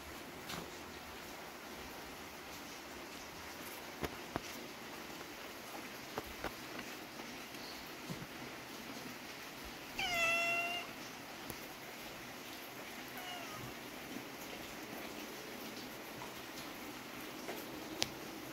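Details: Domestic cat indoors giving one short harmonic meow, steady and slightly falling, about halfway through, amid soft rustling, light taps and a faint steady background hum.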